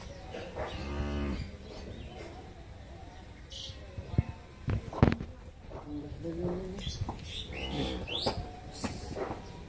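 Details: Friesian Mundi-breed cow in Pabna, Bangladesh, with her heifer calf after a second calving. One drawn-out, low, resonant moo opens the recording, followed by knocks, clatter and faint farmyard sounds.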